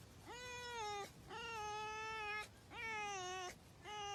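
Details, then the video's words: A pet red fox, which has a strong bond with its owner, gives drawn-out, nasal whining cries, each about a second long, repeated in a steady series while being petted. "Pet Fox Makes Adorable Noises When Petted"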